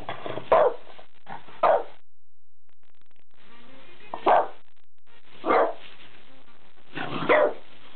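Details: Otto, a French Bulldog, goes wild indoors at the sight of a new pull-up bar, giving short, sharp, husky barks, five clear bursts spread across eight seconds, with brief gaps and a quiet steady background hum.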